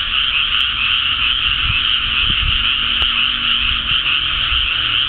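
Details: A dense frog chorus in a flooded rice paddy on Sado Island, Japan, in early May 2010 after rice planting, countless voices blending into a steady, high, rattling trill.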